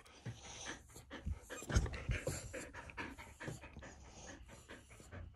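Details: A male Border Collie pants in quick, breathy bursts, with a soft snuffle or two between breaths, as he does every morning.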